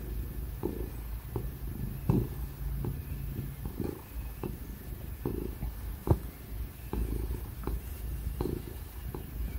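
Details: Quiet, very low purr from Tig, a ginger house cat enjoying being stroked, a soft continuous rumble with faint periodic clicks and a steady fan hum underneath.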